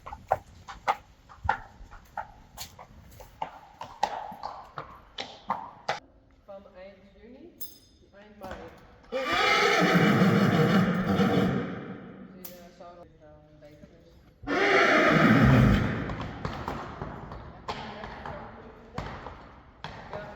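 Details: Friesian horse at a vet check for lameness, indoors: two long, loud, shaking whinnies several seconds apart, amid hoof clip-clops, knocks and quiet human speech.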